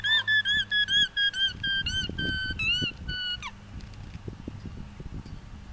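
An alpaca gives a rapid series of shrill, squeaky, honking alarm calls warning of a nearby intruder.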